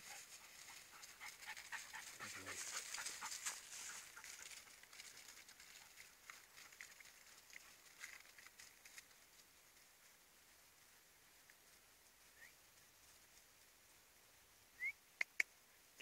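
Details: Two wheaten half-cross greyhound lurchers, a dog and a bitch, on a morning walk; soft, breathy panting in quick rapid bursts through the first half, fading out, then a few brief sharp sounds near the end.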